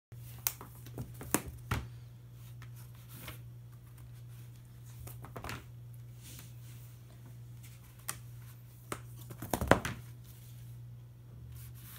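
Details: Scattered scratching and rustling taps sound over a constant low electrical hum indoors, with no animal call anywhere.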